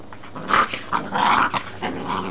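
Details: Great Dane puppies, 52 to 56 days old, from a breeding kennel in Italy, playing together as a litter; short rough growls and yips in bursts over two seconds, indoors.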